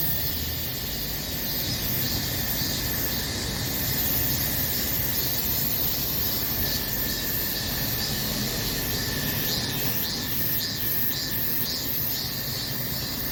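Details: Summer cicadas in full chorus, a steady wall of high buzzing with rhythmic pulsing throughout, laid over a constant low rumble like distant traffic.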